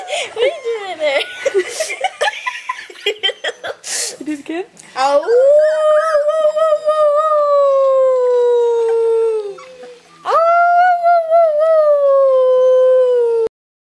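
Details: Rhodesian Ridgeback puppies, three weeks old, howling: a burst of overlapping yips and whines, then two long, sustained, richly harmonic howls that waver and slowly fall, the first lasting about four seconds, the second about three.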